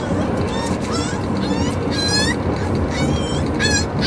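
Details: Corgi puppy on its first ride home, howling and yodelling: thin, high wavering whines that rise and fall in short bursts, partly masked by steady low road noise inside the car.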